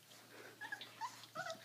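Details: Three-week-old puppies after feeding time, just after their mother left, give several thin, high, brief squeaky whines, some bending upward, overlapping in quick succession.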